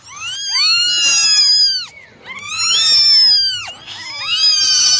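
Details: Nine domestic kittens meowing during a morning drying routine: loud, high, arched meows with rich overtones, overlapping in two long bursts separated by brief pauses, with a faint low hum beneath.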